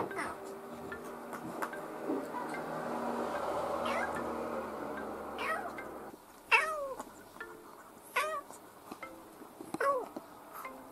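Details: Pet kitten, between two and ten months old, recorded from June 2018 to February 2019; after a stretch of low indoor rumble, three clear rising-then-falling meows arrive about a second and a half apart.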